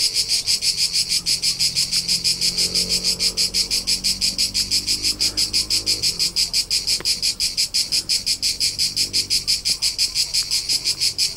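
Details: Tuscan summer crickets, central Italy, heard from the rolling hillsides: shrill high chirping pulsing steadily near three times a second, a continuous chorus over a faint low hum and occasional soft clicks.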